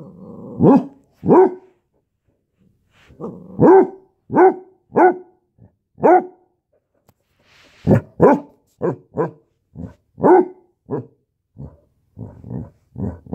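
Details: Basset Hound puppy in a standoff, giving bursts of short, sharp barks in pairs and clusters, with brief pauses between groups and a faster run of yaps toward the end.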